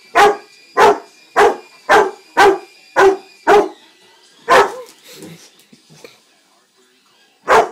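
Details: Rottweiler Jaden, two years old, barks at a son's new toy helicopter it dislikes: seven evenly spaced loud barks about every half second, a brief gap with softer rustling, then one more bark over a constant mechanical whine.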